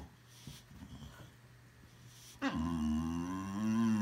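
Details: Pet Boxer dog in a small room, quiet at first with faint rustling, then breaking into a sudden loud groaning howl that dips in pitch and holds a steady, whiny, wavering tone.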